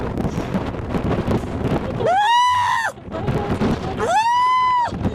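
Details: A white baby seal pup gives two drawn-out, nasal wails, each swelling up, holding steady, then dropping away.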